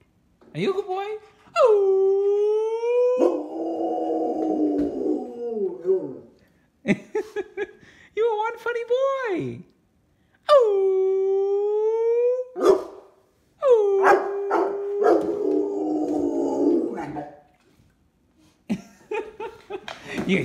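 A Rottweiler gives long, wavering howls that bend upward and then fall away, with a person speaking between them.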